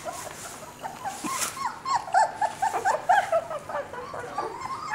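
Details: Four-week-old Border Collie puppy named Moss, cuddled at the breeder's house, gives a rapid run of thin, high whimpers in the middle seconds, each short and wavering, with soft rustling around them.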